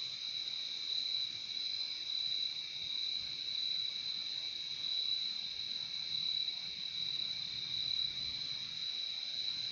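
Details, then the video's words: Crickets in a dense, continuous chorus, a steady shimmering trill with bright bands high in pitch and a weaker lower band, unbroken for the whole stretch, with faint low background hum. "Relaxing sound of crickets"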